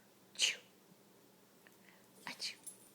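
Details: Rat Terrier named Daisy sneezing on command: one sharp, breathy hiss-like sneeze bursts out early, followed later by a few softer snuffling puffs in a quiet indoor space.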